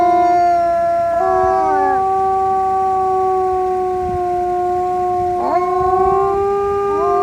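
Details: Wolves howl in chorus, with sustained even tones stacked over one another. Short downward and upward slides break in around two seconds and again near five and a half seconds, then the voices settle back onto long held notes.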